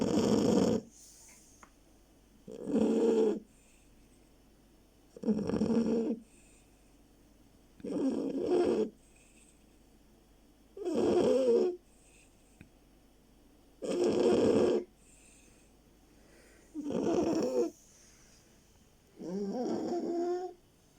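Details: Oliver, a pet beagle, snoring while very sleepy: eight broad, noisy snores about every two and a half seconds, each roughly a second long with quiet breathing gaps between, steady and regular throughout.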